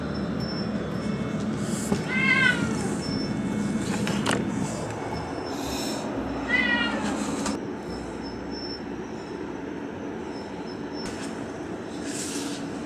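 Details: Stray cat waiting alone for food by the sea on a windy evening after dark, giving two short, rising-falling meows a few seconds apart amid steady wind-like rumble and scattered clicks.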